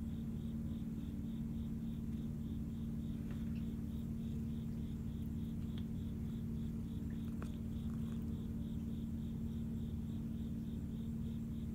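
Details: A female Siamese cat relaxing just after eating purrs in a low, steady rumble while a cricket chirps faintly in the background.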